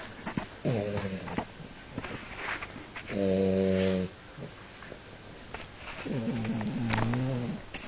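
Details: French Bulldog wearing a wig, asleep indoors after a restless night, snoring in three long rasping breaths with a buzzy, harmonic tone, the middle one a steady drone of about a second; a quiet small-room background between breaths.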